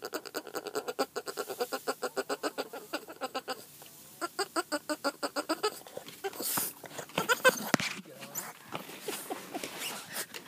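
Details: A Boston Terrier, also described as a French bulldog, makes rapid, pulsing grunt-like noises in quick repeated bursts.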